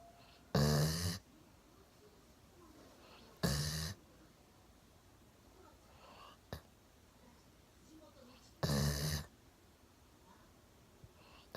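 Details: Sleeping one-year-old Golden Retriever Milo, slumped on a sofa with his chin on a table, gives three loud, harsh snores spaced three to five seconds apart, plus a brief click in a quiet room.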